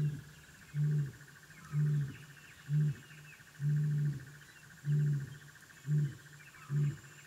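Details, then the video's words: At the den, African wild dog puppies give short, low, hollow hoots, each held briefly at a steady pitch, spaced about a second apart in an uneven rhythm, backed by a constant shrill insect hum and occasional faint bird notes. "The sounds of African wild dog puppies at their den"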